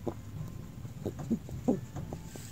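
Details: Domestic rabbit making soft clucking while eating a meal it really enjoys, a happy sound like a squeak caught in the throat. Roughly seven short, soft, low clucks spread over two and a half seconds above a steady background hum.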